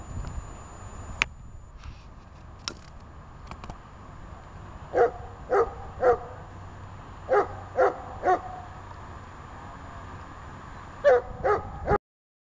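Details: Barks from a dog in obedience training: after a few seconds of clicks and quiet, sharp barks come in short groups of two or three, then a final burst near the end.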